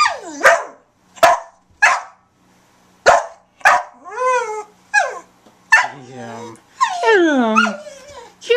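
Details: Eight-year-old female brown Border Collie mix in the Bahamas, barking on command, possibly at other dogs or lizards; sharp barks come in irregular bursts, followed by drawn-out, wavering, falling howl-like yowls, with a man's voice urging her on.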